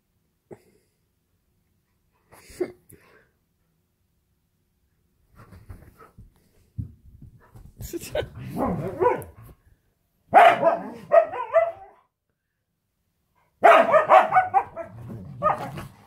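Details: Pet huskies indoors at home during a play fight: scattered low grumbles build into harsh, growly barks and yowling vocal bursts in two loud clusters late on, with gaps of silence between.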